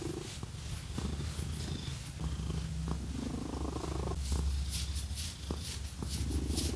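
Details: Purring domestic cat being scratched; a heavy, even low rumble fills the recording from start to end, with light scratching clicks and brushing sounds above it.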